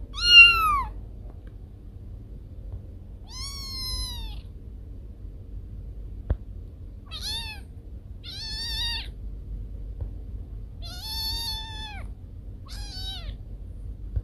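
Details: Domestic cat, its calls said to drive away rats: six short, bright meows spaced across the stretch, each sliding slightly downward, over a quiet low hum.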